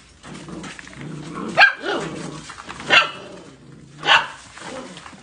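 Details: Golden Retriever puppies let out three sharp yaps about a second apart over a steady, noisy background hum.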